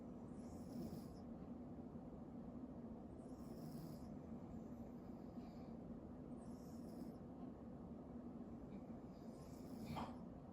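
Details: Pet cat named Hime snoring while asleep: soft, breathy rasping bursts repeat about every three seconds, four breaths in all, over a low, steady background hum.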